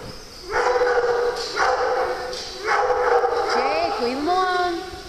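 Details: Dogs at play on a farm, several together, letting out rising and falling tonal whines and yelps near the end, after bursts of rough vocal sound, with a person talking to them in the background.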